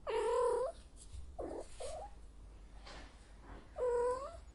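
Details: Cat in heat calling: a strong harmonic yowl, two short lower wails, then another loud drawn yowl at the end.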